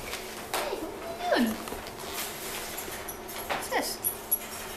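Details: Brock, a Wheaten Terrier puppy; a few high sliding whimpers, falling in pitch, with a person's voice speaking to him nearby.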